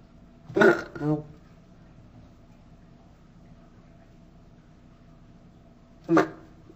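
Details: Angry Pacman frog giving short, harsh squawking bursts: two loud cries close together near the start, then a single sharp cry about five seconds later, with a quiet indoor background between them.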